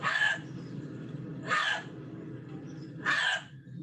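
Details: An urban gray fox gives three brief, raspy, not-quite-bark yaps roughly every second and a half, each ending in a thin whistle, used more often than the bark and by a male calling pups to feed; low steady hum.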